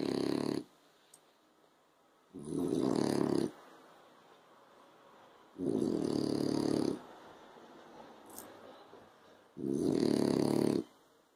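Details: French Bulldog asleep on a sofa in the afternoon sun, snoring in long rasping, low buzzy breaths about every three seconds, each lasting over a second, with quiet pauses between.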